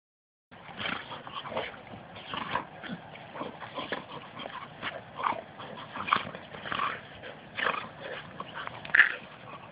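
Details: Two pet Labrador retrievers wrestling roughly in play; dense bursts of throaty growls, snorts and whimpering yips come every second or so, scuffling between them.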